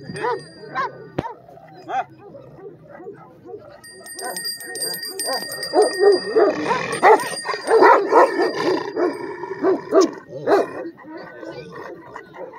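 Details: Red Afghan Kochi and Bully mix dog with a heavy body, barking repeatedly in uneven bursts of short, harsh barks, with steady ringing tones in the background from partway through.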